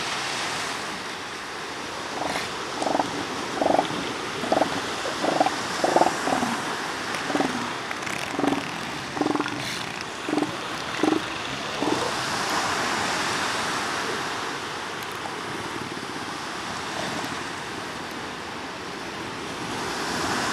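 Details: Northern elephant seal calling in a string of short, harsh, pulsed bursts, roughly two per second for about eight seconds, then falling quiet while the roar of ocean surf carries on.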